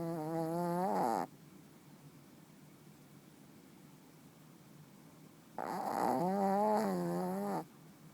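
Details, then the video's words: Artie, a 10-year-old Shih Tzu who snores very often, asleep indoors on one of his regular nights: two loud buzzy nasal snores, the first about a second long and the second about two seconds, each rising slightly in pitch, with a quiet pause between. "Artie's snoring"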